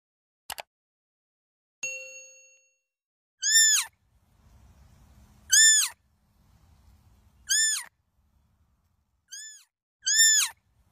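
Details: A young barking deer (Muntiacus muntjak) fawn gives high, squeaky arched bleats, repeated about every two seconds.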